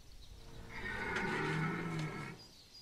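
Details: Red deer stag bellowing at Chambord, France, in September 2021: a single hoarse, low harmonic roar of about a second and a half that swells and then stops, with a faint hiss in the background.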